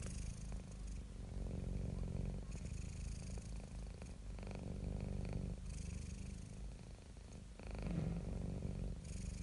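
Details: Relaxed, happy domestic cat purring: a low, even rumble that swells and fades with each breath, breathy inhale phases audible, steady throughout with a slightly louder stretch near the end.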